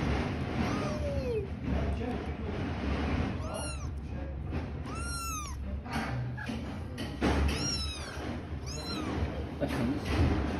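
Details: Kittens living with their mother give a run of short, high meows, each rising and then falling, in bursts of two or three through the middle of the recording, over a steady low rumble and faint background noise.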